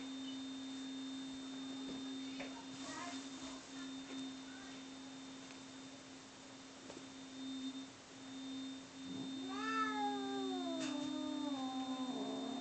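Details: Two cats, Bono and Mickey, fighting: after a quiet stretch, a drawn-out harmonic yowl rises and slowly falls around the tenth second, ending in a lower growling wail over a steady electrical hum.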